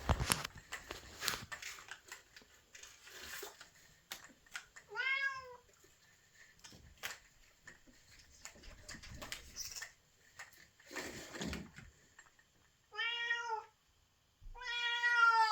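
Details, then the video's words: White cat in heat calling for a mate indoors: several drawn-out harmonic meows, some rising then falling, separated by quiet stretches with tapping and rustling noises in the room. "Calling out for a mate. Cat in heat"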